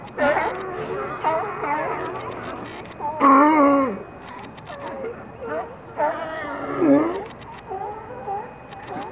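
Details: Several California sea lions calling, with drawn-out, wavering moans and groans mixed with a few short barks, overlapping voices at uneven intervals and a steady background hum.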